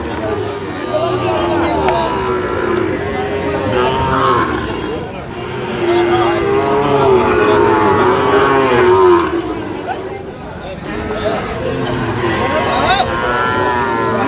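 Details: Sahiwal bull calves at a busy cattle market where a farmer from Khulna, Bangladesh, bargains on 17 October 2025; a drawn-out, steady low moo swells midway, over constant crowd chatter, haggling voices and market hubbub.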